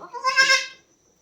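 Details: Goat on a farm where another doe gave birth to a kid that morning; a single high, nasal bleat with rich stacked overtones, lasting about half a second, swelling then fading into quiet.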